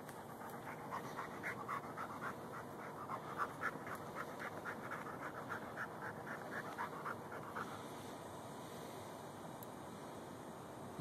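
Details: Lou, a Rhodesian Ridgeback and Bull Mastiff mix hunting gophers, filmed with a Samsung Galaxy S3; rapid soft panting for about seven seconds that then fades, leaving quiet background rustle.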